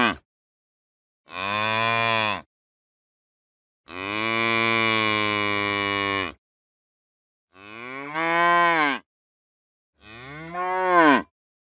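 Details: Cow. A cow moos four times in slow succession, each call a drawn-out, resonant low bellow lasting one to two seconds. The last two moos bend upward and then fall away, with silence between calls.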